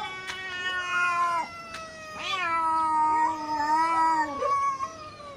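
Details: Neighbour cats in an intense fight, two voices overlapping in drawn-out moaning yowls that bend up and down, with a sudden shrill rising cry in the middle.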